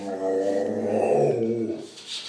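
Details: Pet dog clowning around indoors, giving a drawn-out, moaning growl-like vocalization of about two seconds with rich tones, swelling and then tailing off. A person speaks just afterwards.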